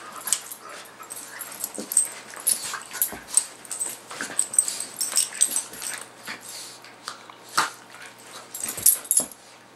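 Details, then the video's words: Two pet dogs, Max the miniature pinscher and Guinness, playing together: irregular short breathy huffs, snorts and scuffling bursts throughout, some soft whimpering tones, no clear barks, quiet indoor background. "Max & Guinness At Play"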